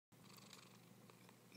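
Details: Tired, sleeping cat snoring: a steady, soft, low rumbling hum with an even texture throughout, recorded close up indoors.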